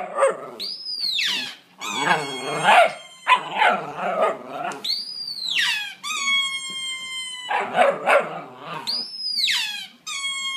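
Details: Italian Greyhound singing: high, wavering howled notes that rise and fall, broken by rough yelping bursts.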